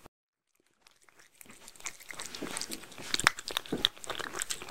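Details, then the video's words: Mindy the Shetland Sheepdog eating homemade food in a small room: quiet for over a second, then crunching starts softly and grows louder, with irregular biting snaps and crisp clicks. "ASMR Dog #3 Eating Homemade Food (Shetland Sheepdog) Sheltie"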